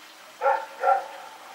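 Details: Two loud, clear barks about half a second apart from Rex, a dog running around in the night, September 21, 2018.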